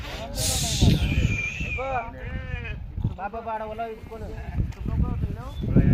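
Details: Flock of 64 sheep with 20 lambs giving a run of quavering, harmonic bleats clustered mid-clip, several animals calling over each other amid constant nearby male speech and crowd noise.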